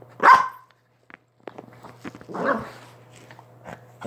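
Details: A Chihuahua in a small room lets out one loud, sharp bark, followed by a short silence and then a softer, breathy grumbling vocalisation, with a faint constant hum behind.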